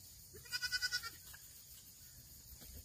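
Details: Black goat on a farm in Gimhae, South Gyeongsang, South Korea, recorded 8 September 2024: a single short tremulous bleat of about six quick pulses lasting half a second, over faint steady background hiss.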